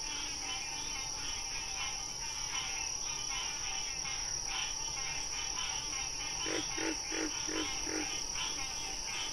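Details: Frog calling with a brief series of five rapid, regular croaks near the end, after a long stretch of steady shrill drone and faint chirping in the background.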